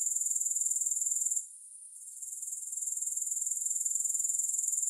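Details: Grasshopper chorus of shrill, rapid pulsing. The sound fades sharply for about a second, then returns gradually to a full, steady trill.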